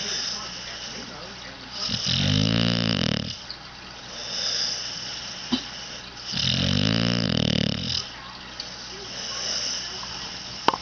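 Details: Snoring from Sally, a sleeping pup: two coarse, vibrating snores about four seconds apart, each over a second long, with quieter wheezy exhales and small clicks between them.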